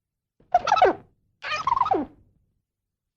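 A squirrel gives two harsh, squawking calls, each sliding downward in pitch.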